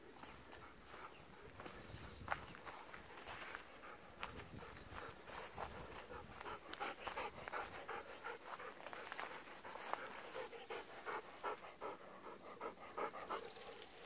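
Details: Golden Retriever on an evening walk, pressing for persimmons that are not yet ripe; quick rhythmic panting at nearly three breaths a second, mixed with footsteps and outdoor rustling.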